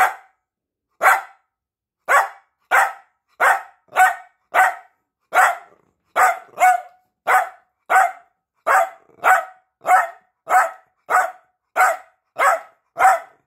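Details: Attention-seeking barks from Peanut, a piebald Dachshund: a steady, insistent series of nearly twenty sharp, bright yaps, about one every two-thirds of a second, evenly loud throughout.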